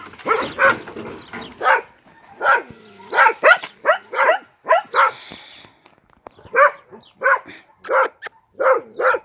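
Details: A dog barks in a fast run of short, high, sharp yips, roughly a dozen bursts over nine seconds in uneven groups with brief pauses between them.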